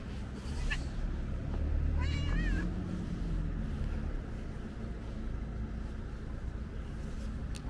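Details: Ginger cat, curious and inspecting the camera, lets out one clear, wobbly meow about two seconds in, with a continuous low hum of vehicles behind.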